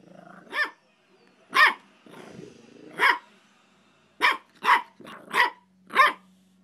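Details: Dogs, a dachshund and a pug, barking in a house: seven sharp, loud barks, spaced roughly half a second to a second apart, with a softer growly grumble between them and a faint steady hum near the end.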